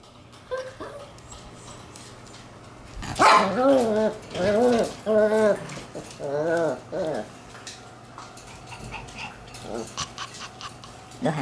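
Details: Black Shiba Inu puppy born June 27, on its pick-up day at the new home, making a run of wavering, harmonic whining yelps over about four seconds, with quiet room noise before and after.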